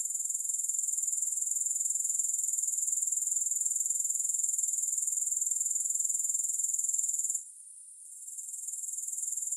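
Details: Long run of grasshopper calling with no music: a sustained, very high, buzzy trill with even rapid pulsing, then a short gap of near-silence before the trill gradually rebuilds.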